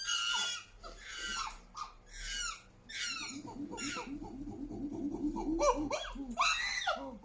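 Chimpanzees scream in shrill, harsh bursts, with rapid breathy hoots building beneath the cries.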